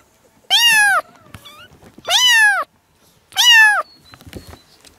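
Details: Three loud, drawn-out kitten meows, each about half a second, evenly spaced roughly every 1.4 seconds, meant to make a cat come and cuddle; faint small chirps between them.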